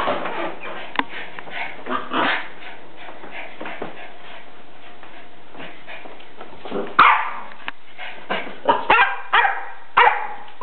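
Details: Salem, a pet dog, playing with a soccer ball; short sharp barks and yips scattered through the clip, loudest bursts near the end, with scuffling and thumping between them.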